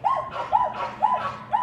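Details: Patterdale Terrier puppies working rats in a puppy pen during an evening training session: four sharp, arched yaps, evenly spaced about half a second apart, bright and high-pitched against a quiet background.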